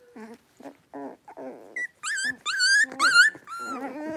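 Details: Five blenheim Cavalier King Charles Spaniel puppies, born on New Year's Eve and New Year's Day, play in a pen, giving short, high yips, barks and squeaky whines with rasping play growls in an uneven, tumbling rhythm.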